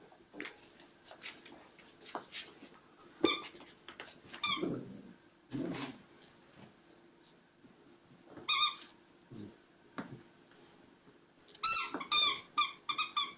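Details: Puppies squeaking in scattered short, shrill whimpers with gaps of quiet rustling between, ending in a quick cluster of rapid high squeals.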